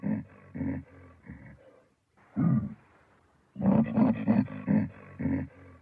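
A baboon gives deep, rough grunting calls in short pulsed bursts, with a brief pause between bouts.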